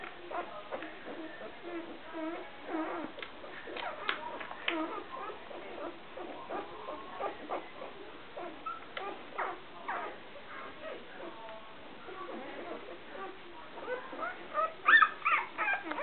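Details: Blonde male puppy from the Messano 'T' Litter, five days old, during his first nail trim: continuous thin, high whimpers and squeaks, short and irregular, growing louder near the end.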